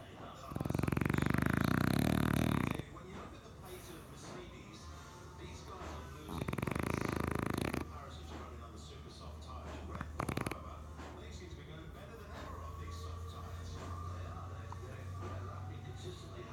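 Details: French bulldog snoring while asleep and dreaming: two loud, low, rattling snore bursts about two seconds and one second long, with a quiet stretch between them and faint low breathing afterwards.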